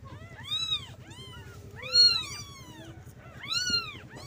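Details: A litter of kittens calling their mother for milk, giving shrill, curved mews in quick overlapping clusters, the loudest near two seconds, with a soft hum underneath.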